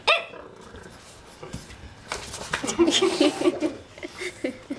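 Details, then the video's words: French Bulldog puppy Romeo, frightened of a magazine, lets out one sharp bark, then a dense stretch of mixed yaps, growly bursts and overlapping human voices and laughter. "French Bulldog Puppy Afraid of Magazine"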